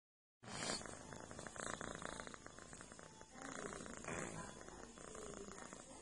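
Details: Domestic cat purring while massaging a feline friend, a soft, steady rumbling purr with rhythmic pulses that swell and ease in waves, plus faint rustling of fur and light handling noises.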